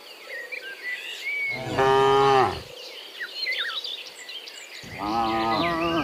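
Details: Morning cattle walking home from pasture to the pen, one strong drawn-out moo followed by another starting at the end, while birds twitter and insects buzz in the background.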